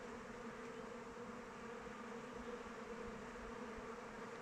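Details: Many honey bees in flight around a hive on an open-weather day: continuous droning buzz, smooth and level, with a clear mid-pitched tone riding over a rough low rumble of wingbeats.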